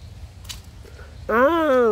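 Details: At a zoo in Seoul's Children's Grand Park, on 29 November 2023, the day of the first snow, a jackal gives a brief, rising then falling wavering cry after a quiet, murmuring start. It was first mistaken for a lion or tiger.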